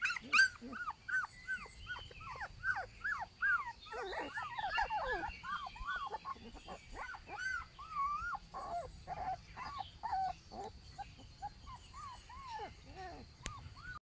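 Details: Alaskan Malamute puppies whimper and squeal in a busy chorus of short rising-falling cries.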